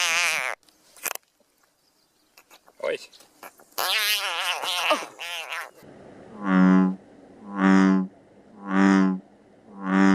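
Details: Frog calling, part of a compilation of frog sounds; mixed short croaks at first, then a steady series of resonant, buzzy calls about one per second, each roughly half a second long.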